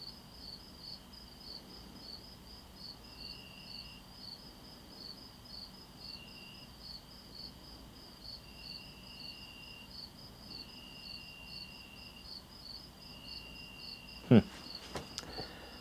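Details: Crickets, with cicadas also present, chirp in a fast, even, high-pitched pulse on a still, hot summer night, with a second insect trilling on and off beneath; cricket.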